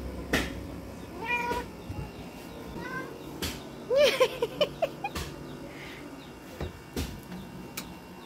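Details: Domestic cat excited at a lizard, letting out brief chirrups, then a quick burst of stuttering, chattering chirps in the middle; sharp clicks and knocks around it over a quiet background.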